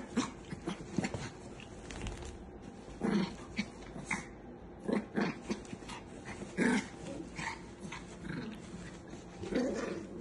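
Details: Indoors, a chihuahua growls in low rumbling stretches broken by short yelps and snarling bursts every one to two seconds, with faint background noise.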